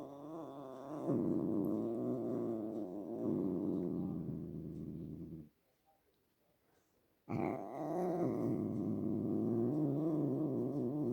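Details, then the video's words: A domestic cat gives a long, low, buzzing growl with a purr-like rumble and wavering tone. It breaks off into almost two seconds of quiet, then starts again with a sharp onset and continues steadily. "My cat making sounds"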